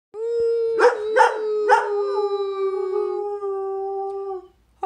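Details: Pet greyhound singing: three sharp yelping rises in the first two seconds, then one long, steady, mid-pitched howl held for about three seconds before fading, ending in silence with a brief sound at the very end.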